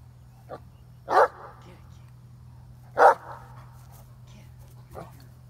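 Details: Katie, a female Great Dane, jumping at a tree and biting its branches while chasing a squirrel; two loud, short barks about two seconds apart, with fainter yips before and after, over a steady low hum.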